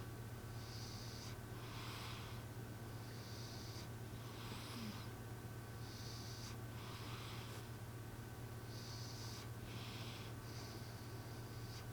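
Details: Sleeping cat snoring in a human-like way: breathy hissing snores alternating in regular bursts about every second, over a steady low electrical hum and background noise indoors.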